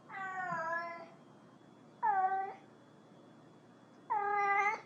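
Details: Three meows from a cat calling another cat: a longer, softer first call, then two shorter, sharper meows with a slight upward bend, spaced about two seconds apart in a quiet room.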